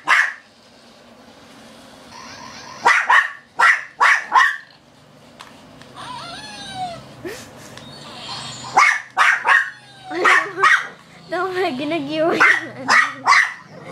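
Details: A female Shih Tzu playing with a toy she seems afraid to grab barks nonstop: short, high yapping barks in clusters of three or four, with thin, wavering whines and squeaky whimpers between bursts.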